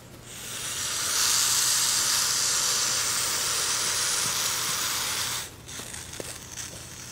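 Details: Baby hognose snake kept as a pet, hissing defensively before playing dead: a long, steady broadband hiss lasting about four seconds, then stopping abruptly, followed by faint handling noises.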